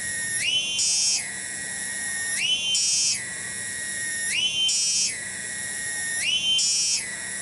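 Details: A single loud cicada (tonggeret) in a garden at Kampung Bunder, Cibening, Bungursari, repeats a cycle of steady high buzzing that surges upward into a rasping, higher burst roughly every two seconds.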